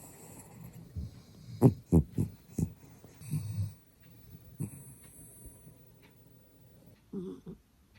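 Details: Little dog Byeoli, asleep and fond of morning naps, makes quick, choppy snorts and rumbling breaths, several sharp ones close together early on, then a faint hiss and one last low snuffle.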